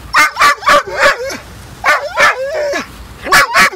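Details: Ninja, a dog throwing a tantrum at the beach when told to go home after 40 minutes of fetch: rapid bursts of sharp yipping barks mixed with wavering whines, in three clusters, a person urging him to come.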